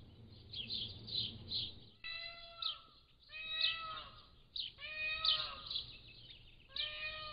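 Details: Pallas's cat kittens, 3 to 7 weeks old, captured at a zoo on a motion-activated trail camera: four clear, tonal, mewing calls, each level then slightly falling, spaced about a second apart, with high bird chirps in the background.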